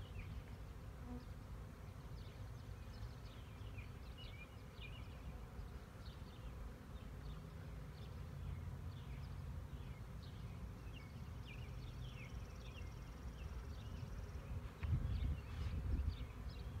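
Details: Honey bee swarm recorded in 2019: a steady low droning hum of many bees fills the background, while small birds chirp and twitter repeatedly above it, with a few louder thumps and rustles near the end.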